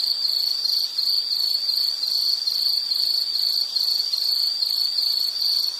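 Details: Loud, evenly pulsed high insect chirping in rapid repeated bursts at one pitch, carrying on without a break.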